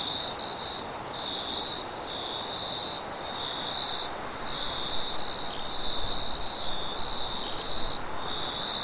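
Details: Forest crickets at night keep up a bright, pulsing high trill that wavers roughly once a second, accompanied by gusty wind with some low rumble.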